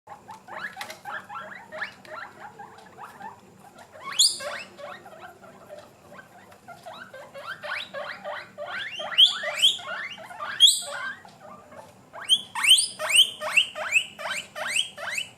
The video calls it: GUINEA PIGS MAKING NOISES